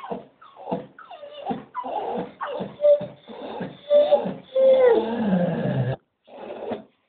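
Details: Staffordshire Bull Terrier impatient to go for a walk, alongside a Doberman joining in: a string of short, squeaky whines, rising into a long, wavering yodel-like moan, then a final grumble after a brief silence.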